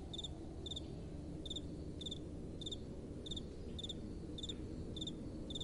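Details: Crickets calling at night: crisp double-pulsed high chirps repeated about every half second to second, clear above a soft, steady wind rumble.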